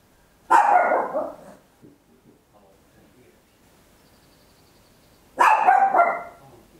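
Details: Home recording of a tiny Papillon dog barking very loud, made in stereo on an Olympus LS-11: two drawn-out, rough barks about five seconds apart, with faint scuffling between them.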